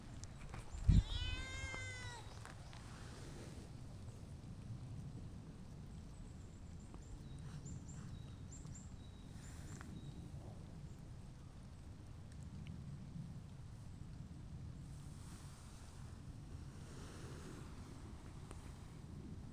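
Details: Stray outdoor cat, a tortoiseshell or a reserved brown tabby, being affectionate toward a returning visitor; a sharp knock, then one wavering meow lasting about a second, followed by quiet outdoor ambience with faint distant chirps.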